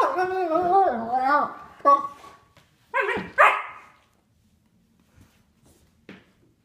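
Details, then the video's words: Indoors, a three-year-old sable German Shepherd plays with a nine-week-old puppy; a wavering whine followed by a few sharp barks, then near quiet with faint taps. "German Shepherd plays with puppy"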